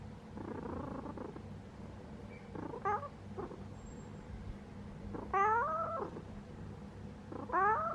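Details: Pet cat dozing in its sleeping posture, low continuous purring rumble with several short harmonic meow-like chirps, the longest and clearest past the midpoint, in a quiet room.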